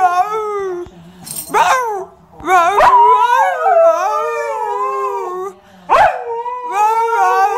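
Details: Siberian Husky singing along with its owner: long, wavering howls rich in overtones that slide up and down in pitch, broken by sharp yips and short pauses around two and six seconds.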